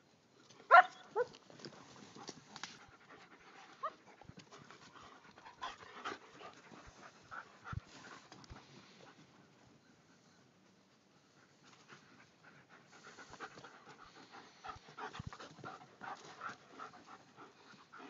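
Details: A pack of Paradise Creek German Shepherds panting: soft, irregular breathy puffs and scuffling noises, with a few sharper bursts near the start, a quiet lull around ten seconds, then renewed low panting.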